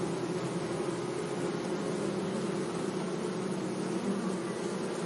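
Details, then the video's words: Continuous hum of bees among flowers in a sunny meadow, an even, dense droning with several overlapping tones and no pauses, over a soft hiss of background noise. "Relaxing Bee Sounds"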